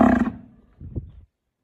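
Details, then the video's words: Bull calling: a low, harmonic-rich bellow that fades over a third of a second, then a pause and a short rough rumbling grunt in two pulses before silence. "bull ki voice"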